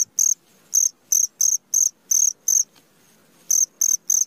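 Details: Short, high, shrill chirps of a cricket at midnight, around ten pulses delivered in uneven groups with a pause of nearly a second midway, in otherwise still surroundings.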